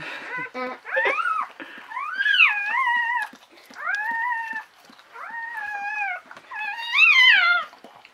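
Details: Newborn female Czechoslovakian Wolfdog puppy, born 21 November 2020 in a litter of five females, squealing right after birth: about five loud, arched, rising-then-falling whines over eight seconds, with soft rustling in a small room.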